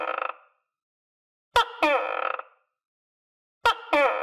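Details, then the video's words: Captive tokay gecko kept with other geckos, calling while eating crickets; harsh, buzzy croaking notes, each with a sharp onset and a drawn-out raspy tail, coming in pairs after a brief silence. "Sound Of Tokay Gecko"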